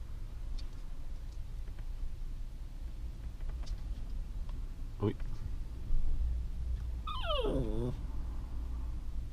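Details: West Highland White Terrier giving one short, high, whining whimper near the end that wavers and slides downward in pitch, over a low indoor rumble with faint clicks and people talking nearby.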